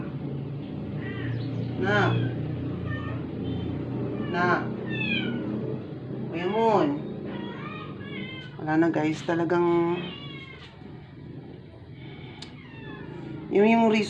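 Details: Rescued stray indoor cat, not eating for 12 days and near death after a vet visit, gives several drawn-out, wavering meows spread across the recording, with human voices and faint background music between the cries.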